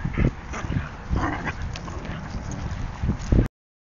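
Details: Rickshaw, an adult dog, and Calvin, a puppy, in a play fight: short rough barks and yips come in scattered bursts, loudest near the start and again just before the sound cuts off at three and a half seconds.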